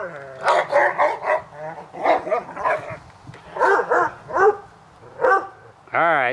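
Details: Playing dogs Hubert and Woody bark in a backyard on a summer afternoon, with irregular barks about every second or two. A drawn-out whining yelp closes the passage.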